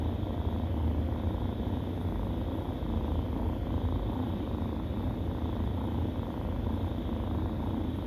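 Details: Kittens nursing, a stray litter feeding together, giving off a steady low rumbling purr that runs unbroken with a faint pulsing texture; no other clear sounds.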